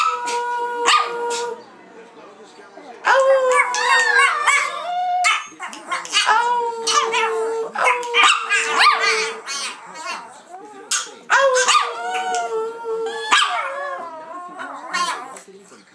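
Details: Three pet Chihuahuas, a 7-year-old female famous for singing, teaching her two sisters: drawn-out, wavering howls rising and falling in pitch, voices overlapping in a sing-song chorus, with short breaks and yelps between phrases.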